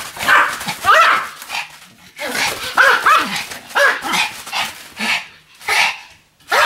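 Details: Pomeranian Sam, spinning rapidly about 155 times on a new mat on 24 November 2015, gives bursts of high, yipping barks with short rising and falling tones, separated by brief quiet gaps.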